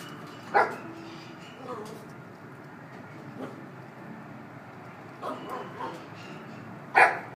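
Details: A red female Toy Poodle, born November 2016, in a pet shop gives a few short, high yapping barks over a steady indoor hum.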